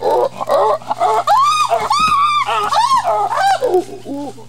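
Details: Chimpanzees give a pant hoot, a ventilatory display of strength and dominance: loud hooting cries that rise and fall, repeating in quick succession.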